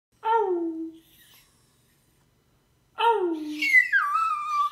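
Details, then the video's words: Splinter, a male Chinese Crested Poodle mix known as a Crestepoo, gives two short harmonic howls, each falling in pitch. The second is followed by a higher wavering wail that slides down and holds, with a quiet gap between the howls. "Splinter Howling"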